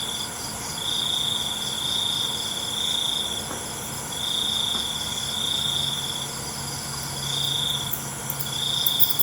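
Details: Cricket calling at night, giving short pulsed high chirps in bursts repeated roughly every second, with a faint continuous insect hum underneath and a few faint clicks near the end.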